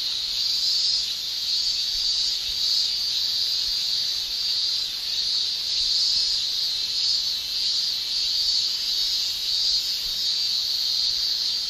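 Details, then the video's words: In Japan during summer, male cicadas shrill with their tymbals, a piercing steady buzz that wavers gently in strength throughout, with a higher faint buzzing layer above. "Japan Summer Cicada Shrilling"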